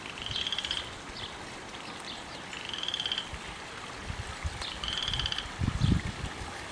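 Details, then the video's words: Single loud frog, a new garden visitor in a yard far from any bog or lake, croaking nonstop from evening to early morning: pulsed trills repeated about every two seconds, with low rumbling background noise. "Loud Mouth Frog"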